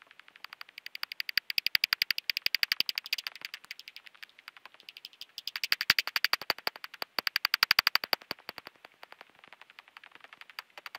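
Common pipistrelle echolocation rendered as a fast stream of dry, smacking clicks in uneven bursts.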